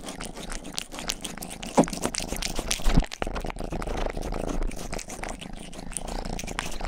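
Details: Youngest house cat Rang-i purring indoors while licking, a deep even rumble under sharp wet tongue clicks, with a couple of louder smacks near the middle.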